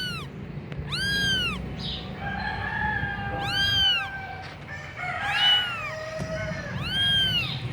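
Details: Persian kitten of the punch-face type in Gujranwala, Pakistan: three loud, arched, harmonic meows about three seconds apart, with fainter overlapping mews between them, a steady low hum and a person speaking softly to it beforehand.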